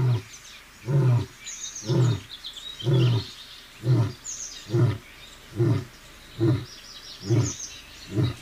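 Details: A seated lion in Sasan Gir forest, Gir Sanctuary, roars in a steady run of deep, booming grunts, about one each second.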